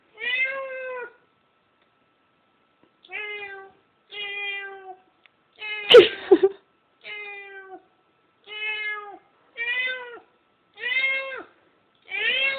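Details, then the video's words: Domestic cat meowing while it listens to a recording of another cat: about nine drawn-out, harmonic meows, each under a second long, at uneven intervals, with one louder, rougher burst midway. "cat call"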